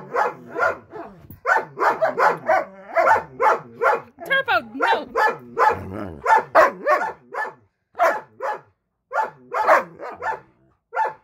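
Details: A female Siberian Husky gives a run of rapid, harmonic yowls and barks, showing a mean bitey face in anger at a Belgian Malinois husky mix that crossed a line.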